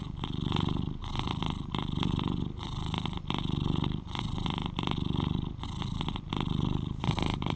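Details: Purring of an 11-year-old male British Shorthair house cat, recorded close for soothing listening: low, buzzing rumble that swells and eases with each breath, roughly every second.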